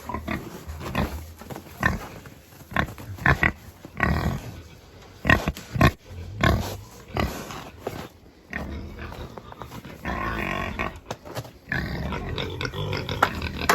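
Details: Farm pigs calling out during chores: repeated short low grunts and snorts, building to longer harsh squeals in the last few seconds over constant background noise.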